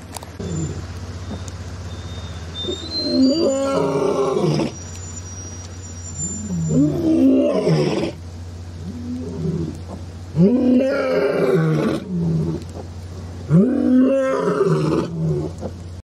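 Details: A male lion roars in the rain in deep, rasping bursts repeated every few seconds over a steady low rumble.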